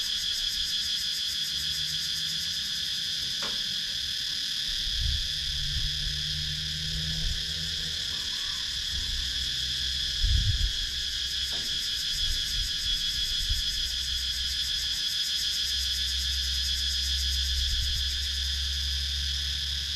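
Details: Cicadas in a wooded countryside area of Sakon Nakhon, Thailand, captured on a GoPro Hero 9: a steady, shrill high drone with fine rapid pulsing throughout, plus scattered low thumps and rumbles near five and ten seconds.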